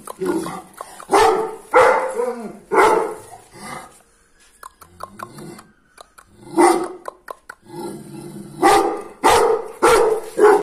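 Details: Male Pakistani Bully Kutta puppy barking in loud, harmonic bursts about every second, some with a whining tail, a short pause midway before barking resumes.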